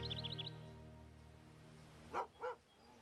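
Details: A dog at an animal rescue shelter gives two sharp, mid-pitched barks about a third of a second apart, over soft background music with a few high bird chirps at the start.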